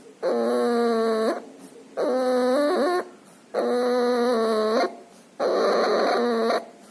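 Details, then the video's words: Loud, strained breathing from a puppy ill with pneumonia and distemper and nasal discharge. Four long, whistling, harmonic wheezes of about a second each come at a steady rhythm, with short quiet pauses between them. "Puppy has pneumonia and distemper. Loud breathing noise and nasal discharge."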